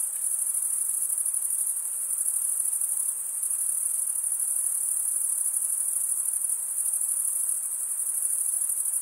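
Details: Crickets, said to be mostly males chirping by stridulation, scraping one wing across the comb-like teeth of the other; a dense, continuous high-pitched trill holds steady throughout, with no other clear sounds.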